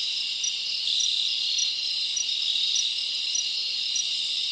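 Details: Crickets chirping at night in a summer forest: a dense, steady high-pitched trill fills the air, with brighter pulsed chirps standing out at regular intervals of under a second; no other sounds intrude.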